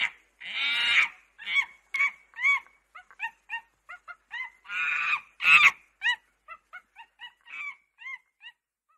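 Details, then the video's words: Monkey calling: harsh raspy screeches mixed with many short, clear, arched squeaky notes, some rising and falling, delivered in an uneven rapid series across the whole stretch with silence between notes. "Maymun sesi/猴子的声音/Affenstimme/monkey voice/ صوت القرد/meymun səsi/बंदर आवाज"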